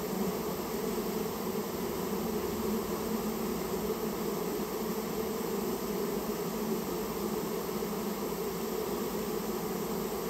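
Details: Japanese honey bee colony that built its nest inside someone's storehouse, being removed at the owner's request; a dense, steady hum of many bees with bands around the low-mid range, continuous and unbroken for the whole stretch.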